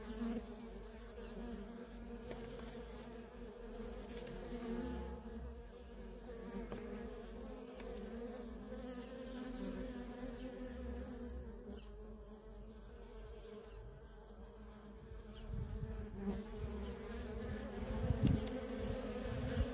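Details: Worker honey bees at a feral colony keep up a constant droning hum, joined by a deeper low rumble and scattered louder clicks and knocks toward the end.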